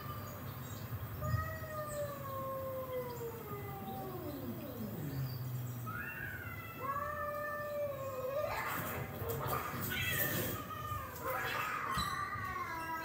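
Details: Rocco, a house cat, reacts excitedly to cat fight videos. Long, wavering yowls slide up and down, then harsher cries overlap in a burst, all over a constant low hum.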